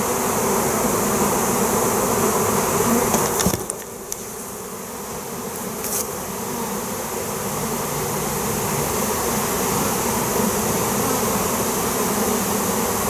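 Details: A swarm of honey bees in flight, being called in by metal banging with a crowbar; dense, continuous, even buzzing fills the air, briefly dipping around a pair of sharp metallic clanks before swelling back.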